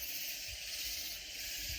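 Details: Near San Antonio in Texas Hill Country, loud katydids keep up a constant, sizzling high chorus, with soft low thumps underneath.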